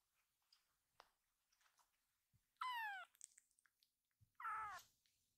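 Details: A rescued kitten gives two clear, high meows, the first falling and the second level, calling its scattered littermates together; they then gather and huddle into a cat pile.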